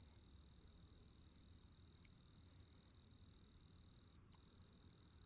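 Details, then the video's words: Continuous shrill cricket trill, even and unwavering, with a brief dip near the end, set against low-pitched background rumble. "Sound Of Crickets"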